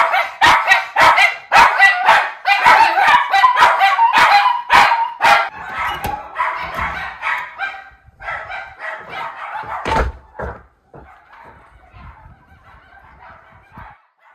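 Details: Two Miniature Schnauzer brothers in Aroostook County, Maine, seeing a raccoon for the first time, May 31, 2022: rapid, frantic overlapping barks and yelps for about eight seconds, then fading into softer whines and whimpers.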